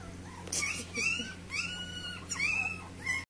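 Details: Puppies wanting to go outside give high, drawn-out whines, each rising then gently falling, four or five cries spaced about half a second to a second apart, over a steady low hum indoors.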